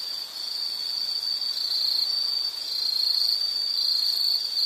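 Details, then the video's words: High, even insect trill droning without pause, its loudness swelling and fading slightly across the stretch, with a thin higher shimmer intermittently above the main tone. "Sound · Nature Sound of nature sounds scenery L · insect"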